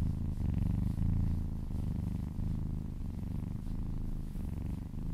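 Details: Kitten purring during a massage, licking along a person's arm and purring close to the ear; steady low rumbling purr in breath-paced pulses about a second long, with brief soft gaps between inhale and exhale.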